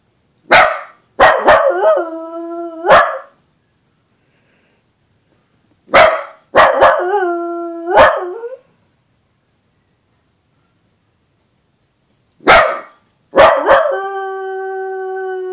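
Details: A dachshund howling for the first time yelps a few sharp barks, then slides into a sustained, slightly wavering howl, in three bark-and-howl bouts with quiet pauses between them.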